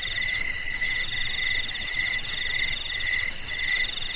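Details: Crickets chirping in the night silence, bright high-pitched pulses repeating in short rhythmic bursts over a continuous shimmering trill from other callers.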